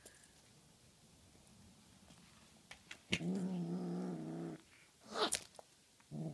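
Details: Honey Butter, a Tonkinese cat, playing indoors with a feathery toy, gives one sustained low, rough growl lasting about a second and a half, after quiet rustling and a sharp clatter, with a brief scrape following.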